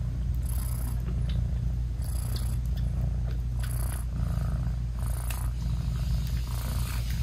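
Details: British Shorthair mother cat purring while nursing her newborn kittens, whose eyes are still closed; a deep continuous rumbling purr fills the whole stretch, broken by soft breathy hissing bursts roughly every one to one and a half seconds.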